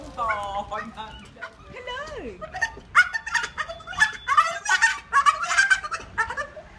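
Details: Dog producing an odd, bird-like sound: bent, quavering harmonic wails, one long sliding squeal dropping in pitch, then rapid high chirping yelps, with human voices mixed in.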